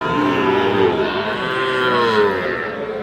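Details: Sahiwal bulls and calves at Ambari cattle market in Dinajpur district, with one drawn-out, tonal low moo wavering across three seconds over a steady hubbub of crowd voices and market noise.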